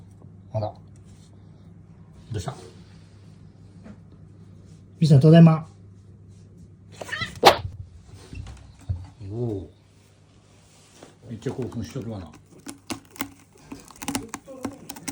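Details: Mii-san, a chatty house cat worked up by its owner's homecoming greeting, answers with a loud drawn meow and later a wavering, arched meow, interspersed with the owner talking and a constant background hum indoors.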